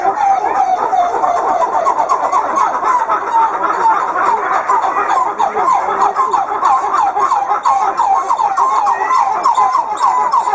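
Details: Red coppery titi monkeys sing in the morning, a dense, rhythmic chorus of swooping, pumping, siren-like notes rising and falling; this multitude of sounds serves to keep the group together.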